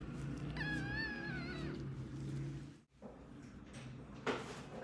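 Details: Two-month-old British kitten with a viral infection of the eyes and ears, during gentle ear cleaning indoors; one drawn-out, wavering, high meow lasting about a second, over a steady low hum and soft handling noises.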